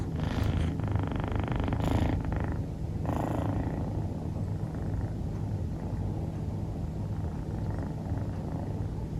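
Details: Sleeping female dilute calico Scottish Fold kitten Rufu gives a deep continuous rumbling snore; several breathy rushes in the first three seconds, then a steady low drone.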